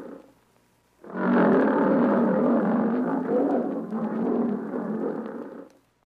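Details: Tiger roaring: one long, rough, broad roar lasting about four and a half seconds. It holds steady with a slight dip midway, then cuts off.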